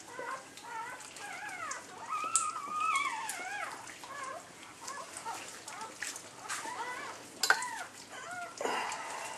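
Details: At the whelping of the last of eight Labrador Retriever puppies, a red female, newborn pups give strings of short, high, wavering whines and squeaks, clustered early then scattered, with rustling and shuffling in a small room.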